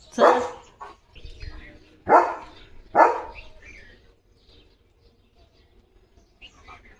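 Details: German Shepherd dog in a home garden courtyard with flowering rose plants: three sharp broadband barks, the first around 0.3 seconds and the others about a second apart, followed by quieter sounds and a man speaking nearby.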